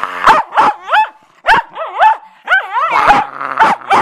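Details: Bedlington Terrier at play with a cloth, nearly choking on it, gives loud, rapid yelping barks. Each bark bends up and down in pitch, coming roughly every half second in a steady, excited series.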